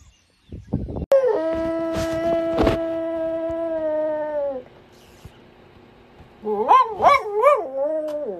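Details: Ruby Cavalier King Charles Spaniel howling: a long, steady, even-pitched howl held for about three and a half seconds, a quiet pause, then a wavering howl that rises and falls several times before settling into a level tone.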